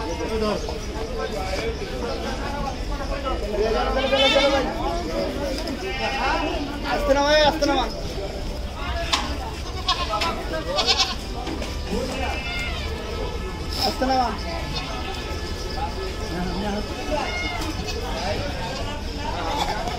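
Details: Black Bengal goats at the Gabtoli Gorur Haat livestock market during unloading: several quavering, wavering bleats rise out of steady crowd talk and market babble, the loudest near the middle of the recording.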